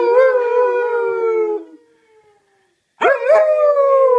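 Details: Alaskan Malamute howling during a singing session with its owner: a long, slightly falling mournful howl, a brief pause, then a sharper howl that breaks upward before settling into a steady tone.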